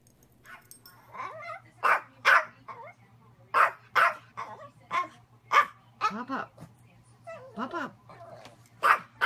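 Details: Yorkshire Terrier yapping repeatedly in a home, short high barks and whiny yips in quick, uneven bursts, with a person talking to the dog in the background.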